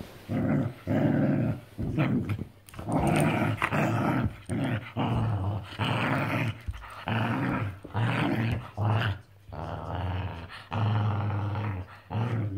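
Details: Pair of bonded whippets in a friendly play fight indoors after a walk, mouthing each other; low, rough growls come in repeated bursts about every second, with brief pauses and scuffling between them.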